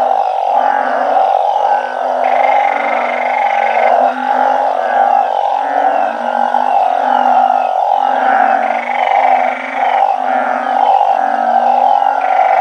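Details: Balloon frogs kept in a backyard organic garden that mimics their natural habitat, calling en masse at night. A dense, unbroken chorus of overlapping low, throbbing croaks, with a steady mid-pitched drone and periodic brighter, nasal bursts layered over it.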